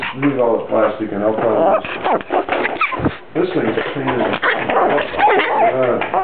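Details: Chewbacca-like or baby-like dog vocalizing: choppy sequences of moaning, yodelling whines with quick pitch bends, broken by short gaps, growly undertones at times, close and muffled.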